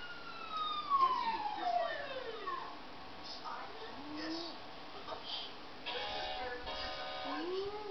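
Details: Dog howling at a laptop: an opening long howl sliding down from high to low, then shorter rising-and-falling wails, set against electronic sounds and voices coming from the computer.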